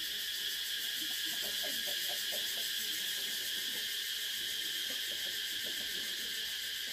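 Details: Cicada calling in a steady, unbroken high-pitched drone with a dense shimmering texture that holds level for the whole stretch, and faint soft pulsing sounds underneath.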